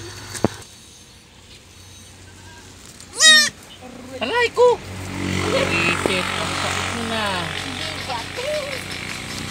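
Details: Pet goats, called harmless by their keepers: after quiet rumbling, two short, quavering bleats break out, followed by a wash of traffic noise and faint distant voices.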